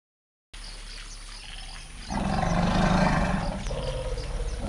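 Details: Two female forest elephants, Vamps and Myrtle, greet each other in the Dzanga forest clearing after a long separation. After a quiet start, a loud, low harmonic rumble begins about two seconds in and swells to the end.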